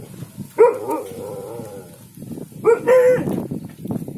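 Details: Alaskan Malamute at home, called a handsome boy while urged to 'talk': two drawn-out moaning vocalisations about a second each, the second wavering and rising, with a person speaking over a noisy indoor background.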